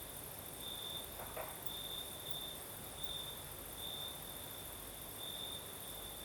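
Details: Crimean crickets at night, southern Crimea, night breeze: shrill pulsing trill in evenly spaced bursts, one short knock near the start, and a gentle steady rush of wind underneath.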